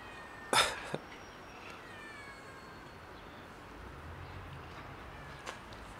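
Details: Hungry cats asking to be fed: a faint, thin meow with stacked rising overtones around the second second, following a sharp noisy burst near the start, all over a steady low background hum.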